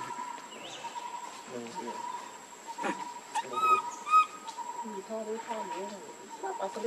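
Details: Hungry baby monkey Lucie crying for milk: a pair of sharp, high, tonal squeals with ringing overtones near the middle, set among lower grunting murmurs, clicks and a constant thin background whine.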